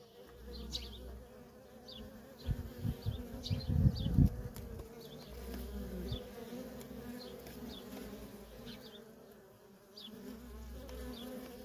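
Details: Worker honey bees in nonstop traffic at a feral colony: a steady, layered droning buzz, swelling into louder low rumbles between about two and four seconds as bees pass close, with faint high chirps in the background.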